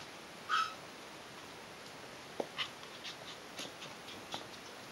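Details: A 6-week-old Yorkshire Terrier puppy gives one short, high squeak, followed by faint tapping sounds; Yorkshire Terrier.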